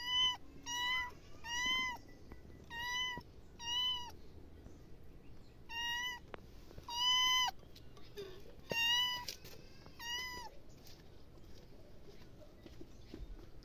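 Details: Pet cat meowing insistently in a steady series, short bright meows about every second at first, then longer, louder ones with gaps, ending in quiet.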